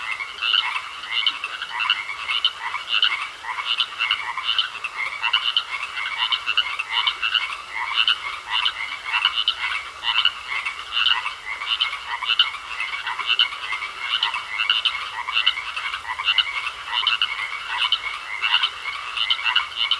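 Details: A pond full of frogs keeps up a steady, rhythmic chorus of rapid rasping croaks, several per second, continuous throughout, with a thin steady whine running underneath.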